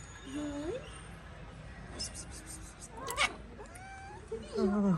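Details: A street cat in Morocco, a tomcat trying to forcefully mate with a calico cat. Short rising meows come first, then a louder, wavering, drawn-out yowl at the end, over steady street background noise.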